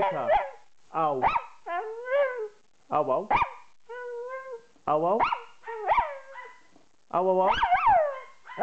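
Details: A female Jack Russell Terrier cross Yorkshire Terrier yowls in short, wavering howls that rise and fall, singing along with a person.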